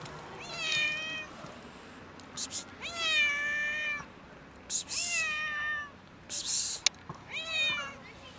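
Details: Sad domestic cat meowing repeatedly, four long whining meows roughly every two seconds, each rising then falling gently, rich in harmonics, with brief rustling bursts between calls.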